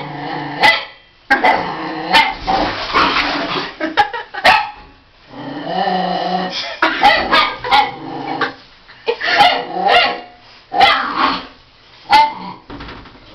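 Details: Female Miniature Pinscher named Roison during her bath. She hates bubbles and attacks them, trying to eat them. Sharp yappy barks and rough growls come in repeated short bursts separated by brief pauses.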